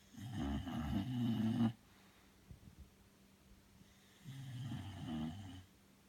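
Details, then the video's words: Sleeping Bulldog snoring indoors: two long, rumbling, low snores, each about one and a half seconds, separated by a quiet pause of soft breathing. "Bulldog snoring"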